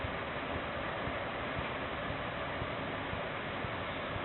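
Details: Steady broadband hiss and rumble, like a running vehicle or fan, fills the whole stretch with no animal voice.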